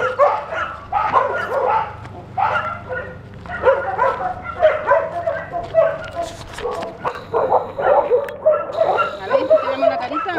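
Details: Leonberger in September 2013 barking in short, bunched bursts roughly every second, the barks tonal and slightly whining, with a faint steady hum and people's voices in the background.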